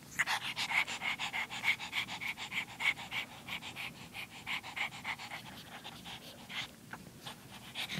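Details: Pug puppy, female, panting rapidly and steadily, quick breathy pulses at roughly three per second throughout, with no other clear sounds.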